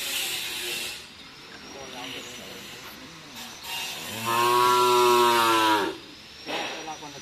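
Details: Cattle at a karapan sapi bull-racing training session at the Asemanis field, Madura; one steady harmonic moo of about two seconds rises out of background chatter and rumble, with a faint high whine and crowd noise around it.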